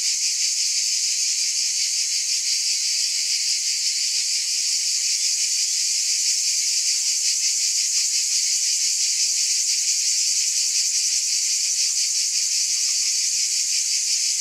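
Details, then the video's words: Cicadas in a dense, unbroken chorus: a steady, loud, high-pitched hissing buzz with a faint fast shimmer running through it, constant in volume throughout, with no other sounds. "Scintillating Cicadas"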